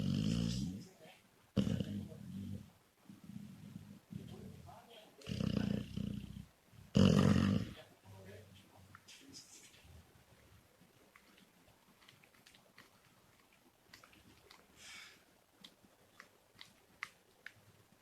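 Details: A sleeping female Labrador Retriever, perhaps dreaming, snores in deep, rumbling bursts that drown out a television playing faintly in the background.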